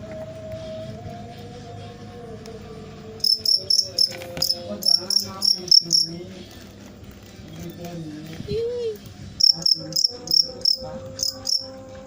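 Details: Cricket producing clusters of shrill, pulsed chirps, about four per second, starting after a quiet spell, over faint voices and low tones.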